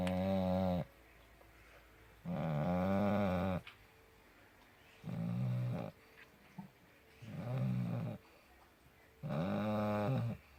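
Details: A sleeping puppy snores loudly and steadily, five buzzy, droning breaths with rich overtones, each lasting about a second, spaced by quiet gaps of one to two seconds, in a small quiet room.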